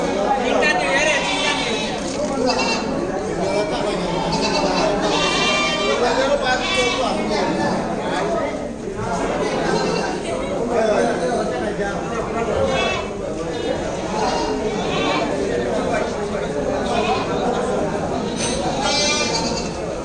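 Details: Goats at a crowded market in Bangladesh ahead of Eid, 2019, giving several wavering, nasal bleats at scattered moments through constant loud human chatter and bargaining voices.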